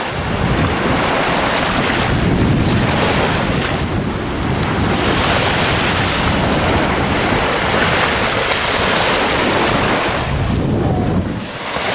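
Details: Loud sea surf and strong wind buffeting the microphone on the Bornholm coast, with no animal sounds.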